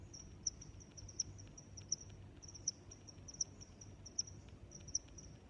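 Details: High, clicky chirps of a cricket repeating at a regular pace of roughly one every three quarters of a second, softer trill notes between, over quiet low background noise.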